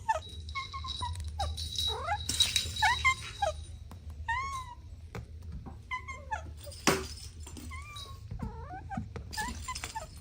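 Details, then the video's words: Kittens playing with their mother: a busy stream of thin, high-pitched mews, many short and sharply bent upward or downward, overlapping irregularly, with faint rustling and soft thumps of play underneath. "Adorable Kittens Playing with Mom & Two Siblings | Soft Meows"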